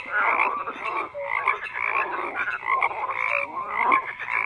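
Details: A dense chorus of many frogs croaking together, overlapping rasping and clucking calls at mid pitch with short tonal notes scattered through, no other sounds.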